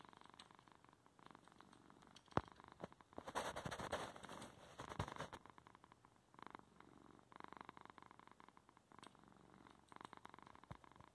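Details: Purring male domestic cat in a room at home, getting in the way of his owner's computer work; pulsed rumbling swells louder for a couple of seconds mid-clip, with one sharp click early on.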